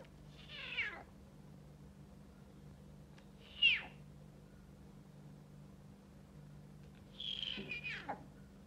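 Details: A male snow leopard cub, just finding his voice, gives three high, thin mews that slide downward, spaced a few seconds apart.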